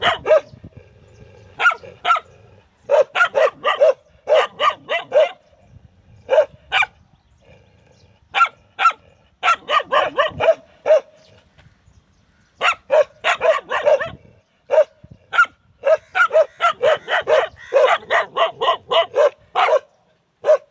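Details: Dogs barking in rapid irregular bursts, short sharp broadband barks clustered in volleys with brief pauses, some overlapping as if several dogs, faint low rumble in the background early on.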